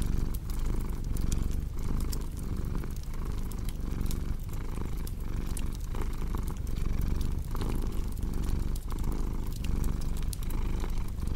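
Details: Domestic cat purring in a deep, continuous low rumble that swells and dips with each breath, roughly twice a second, over sharp pops and snaps from a crackling fireplace.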